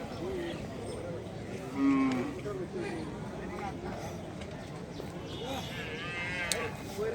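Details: Cattle at the Monday weekly livestock market in Brahmanbazar, where cattle and goats are traded; a short, loud, low lowing moo rises out of steady crowd chatter and voices near the start, with people talking throughout.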